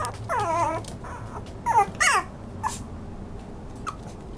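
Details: Toy poodle whimpering: a few high, wavering whines with bending harmonics, two louder ones near the middle, then near quiet with faint clicks.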